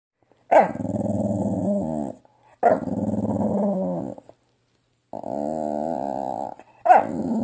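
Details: A Staffordshire Bull Terrier makes long, grumbling, groan-like vocal noises, each about two seconds, as it acts silly whenever told no.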